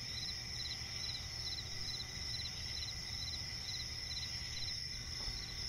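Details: Crickets chirping at night in a swampy forest, a dense steady chorus of high pulsed trills layered in several bands, rapid repeated pulses throughout, with a low rumbling background hum.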